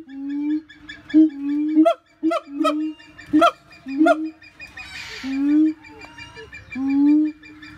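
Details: Siamang giving a series of low, steady booming notes alternating with sharp, explosive barks about every half second, then longer drawn-out tones with rising upper wails, over a quiet background.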